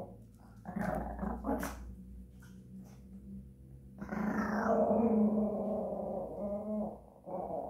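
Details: Japanese Chin singing in a small room: short growly yips open, then a long sustained moaning howl with steady overtones wavers for about three seconds, dips, and starts again.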